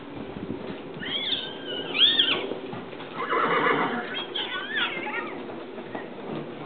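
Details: Tennessee Walking Horse, registered and smooth gaited, gives repeated quavering whinnies: a high wavering neigh near two seconds, a breathy rush, then another trembling call around four and a half seconds, with light hoof sounds behind.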